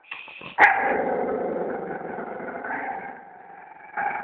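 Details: A dog growls in a long, continuous rumble, opening with a sharp yelp-like burst and ending on a brief rise in intensity.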